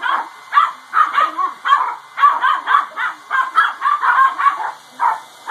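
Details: Several dogs bark at a running hair dryer in quick, continuous yapping bursts, roughly three per second, over the appliance's constant high hum.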